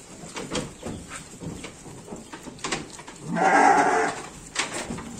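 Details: Garut sheep bleating while being given supplementary feed, one loud, harsh, wavering bleat of just under a second midway through, with steady background hiss and faint clicks and rustles around it.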